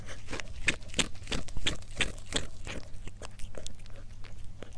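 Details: Cat mukbang: a cat crunches its food in a quick, fairly even series of sharp, dry cracks, about three per second, with quieter chewing in between and a low background hum.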